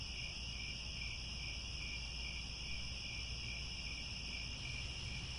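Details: Crickets at sunset in the grasslands around Angkor Wat, Cambodia: a dense, unbroken shrill chorus of several steady high-pitched trills layered together, over a low rumbling background.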